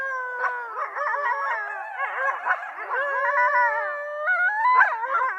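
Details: Coyote chorus: several overlapping voices warbling and yipping up and down around a steady held howl, a busy wavering group sound throughout, with a higher rising howl near the end.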